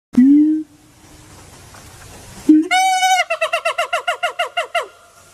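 A siamang gives a deep hooting note, then a ringing, rising cry and a fast run of pulsing whoops.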